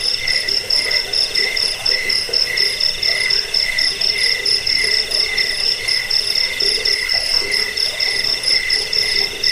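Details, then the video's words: Cricket calling, presented to repel rats, soothe sleeplessness and train birds; evenly repeated shrill chirp phrases about twice a second over a constant high hum, with faint ticking overhead. "Suara jangkik pengusir tikus pengantar tidur"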